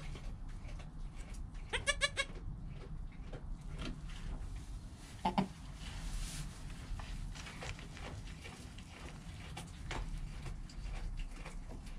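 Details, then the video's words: Newborn goat kid Joel, within an hour of his birth beside his calm mother Penny, recorded on a GoPro: a short harmonic bleat near two seconds, a second brief cry later, over a steady low rumble and scattered clicks. "Baby Goat - One Hour Sound and Video"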